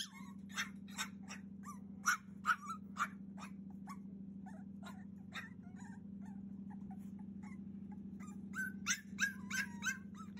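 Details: A 42-day-old Cavalier King Charles Spaniel puppy whines and yelps insistently, crying to be let out, on 30 June 2021.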